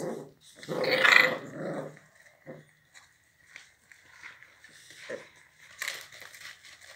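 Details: Pit bull dog named Chucky, described as very fierce, giving a loud rough growling burst near one second, then softer grunts and rustling indoors.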